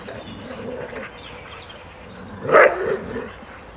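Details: Groenendael dog on a walk on 3 May 2012, in company with two more Groenendaels and a Border Collie; one loud short bark with a brief follow-on yelp after quiet outdoor background.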